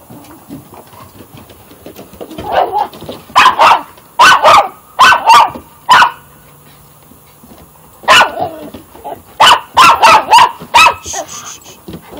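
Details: Dog playing tug-of-war, recorded 15 February 2015: sharp, loud barks in quick bursts of two or three, about a dozen in all, separated by short pauses with faint murmuring voices.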